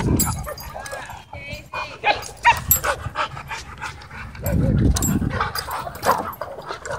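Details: Dogs romping wildly together at a dog park give brief high yips and scattered sharp barks amid busy scuffling, thumping paws and background chatter.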